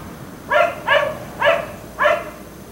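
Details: Neighbour's black Labrador retriever left outside until 1am; four strong, evenly spaced barks about half a second apart, each bright with stacked harmonics.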